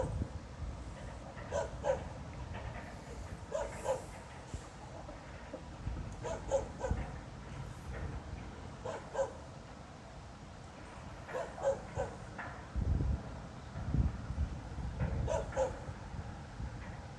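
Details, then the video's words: Around 2:25 on a Friday night in November 2016, a far-off dog keeps barking without reason, as it has all night. Irregular bursts of two or three barks recur every few seconds across a low rumbling background. "Снова беспричинно лает собака."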